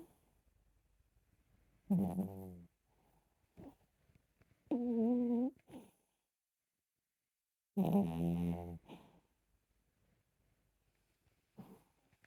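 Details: A sleeping Chihuahua snores in three loud, rasping, harmonic bursts about a second long, spaced roughly three seconds apart, with near silence and a few faint breaths between them.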